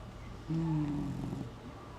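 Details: Sleeping Shar Pei snoring with its cheeks sprawled over its belly; a single low, droning snore of about one second with a steady tonal hum, set against quiet room noise.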